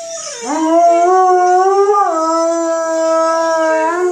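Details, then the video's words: Howling Malamute: the howl dips low, then rises and holds a sustained, slightly wavering tone, with a brief upward step partway through. "Malamute howling"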